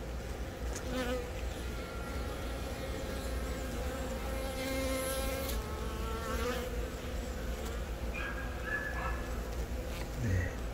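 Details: Hive of honey bees in Baegam, Yongin, April 20, with a newly mated queen from a natural swarm laying eggs; dense continuous buzz with layered humming tones near the low end and faint wavering overtones throughout.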